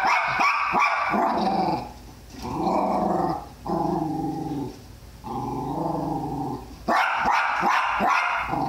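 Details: Tally-Ho the Jack Russell Terrier, after a guinea pig, lets out a burst of rapid barks, then a person talks at length, then another fast volley of barks.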